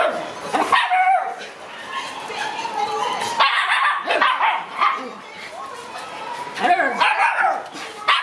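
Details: June-born Shiba Inu puppies romping wildly in an exercise yard: quick high yips and barks in irregular bursts, with people talking throughout.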